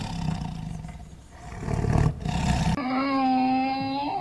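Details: Tiger roaring: a rough, low, breathy roar with growling rumbles swelling over nearly three seconds, followed by an abrupt cut to a different sustained, tonal, droning call.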